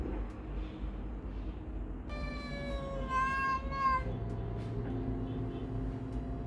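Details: Stray mother cat in Istanbul, taken in while pregnant and thin, now with four newborn kittens; gives a long drawn-out meow with wavering pitch for about two seconds over steady low background hum.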